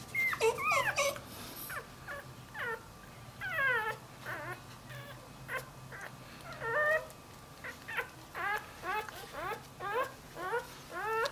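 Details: Newborn male Dachshund x Jack Russell Terrier puppy that has wandered away from his mother, whining in high, thin, wavering squeaks that rise and fall, coming in irregular bursts of short cries with brief pauses between them, indoors with a faint steady hum.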